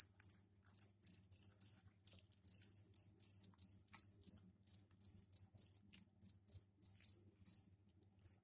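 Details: Captive male crickets indoors in a container, given a tray of soil for egg-laying after cleaning, chirping at night as a mating call; loud high chirps in rapid bursts, about one or two per second, with a low hum underneath.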